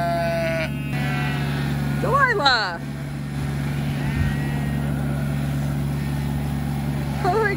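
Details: Sheep out of their fence being rounded up by tractor: wavering bleats, one quavering and sliding, others short, over a constant engine hum, with a person talking throughout.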